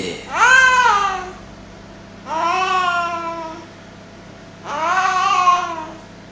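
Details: House cat, a male, yowling strangely while tugging at his favourite duster indoors: three long, loud, harmonic moaning calls roughly two seconds apart, each rising then sagging in pitch, over a low steady household hum.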